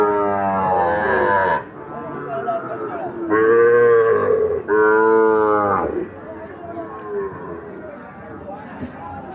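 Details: Loud, long lowing from Sahiwal bull calves traded at Ambari market: three strong harmonic moos, each over a second long, then quieter calls beneath voices and background music.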